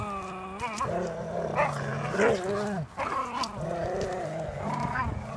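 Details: Two terriers, Airedale Terrier Lenny and Welsh Terrier Martin, in a game of tug of war; steady low growling with rising, wavering whine-like tones on top and brief breaks between bouts.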